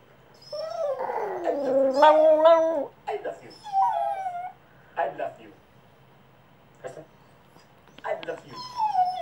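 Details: Male Cavalier King Charles Spaniel and Papillon mix dog in his first attempt at howling: a long bending, rising and falling howl over the first seconds, then short whiny yips and quiet pauses, with a person talking at times.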